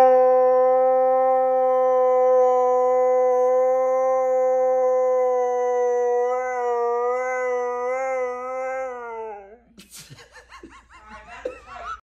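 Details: A pet Siberian Husky singing: one long, steady, tonal howl held for about nine seconds. It wavers and bends upward toward the end, then breaks off into a few brief rough yips and scuffling noise.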